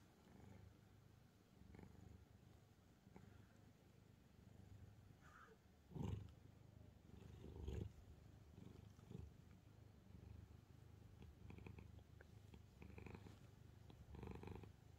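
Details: A calico cat named Angttu resting on books gives a deep, even purr throughout, interrupted by two louder bumps or rustles around six and eight seconds and soft handling noises later.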